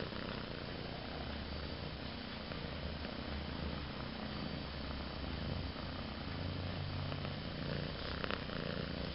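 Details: A pet cat purring, recorded 22 March 2011; a steady low rumble runs unbroken through the whole stretch over a constant broadband hiss, with a brief faint click near the end.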